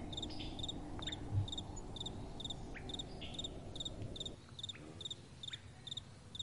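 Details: Crickets calling at night beside a gentle wind: short, bright pulsed chirps repeated about twice a second in a steady rhythm, over a low rushing wind rumble, with a few faint sliding notes in between.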